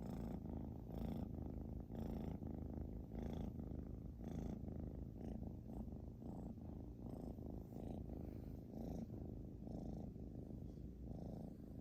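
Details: Xiaoguai the British Shorthair cat snores heavily, a low grating rumble pulsing roughly once a second in an uneven breathing rhythm, sustained throughout.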